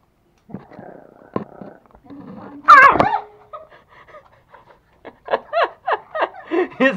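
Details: Toy Pomeranian puppy in Kathmandu, Nepal, guarding meat from its bone as a person reaches for it: a loud snarling growl with a burst of laughter, then a run of short, rhythmic growling yaps near the end, with speech in between.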